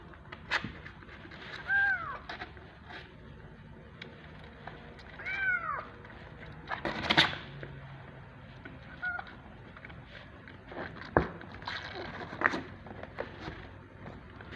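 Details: Loud hungry kittens jostling for bottle feeding give a few scattered arched meows, some short and faint, amid clattering, bumps and shuffling sounds.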